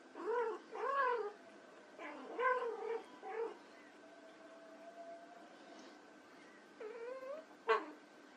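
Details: Playing white Persian kittens give a run of repeated plaintive meows, several in quick succession, then a pause and two more bent, wavering mews, one ending in a sharp squeak.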